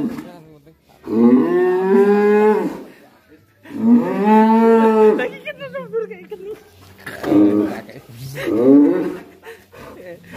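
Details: Agitated black cattle bellowing inside a pen: two long, rich moos with rising-then-falling pitch, followed by shorter broken calls, with a little human chatter in the background.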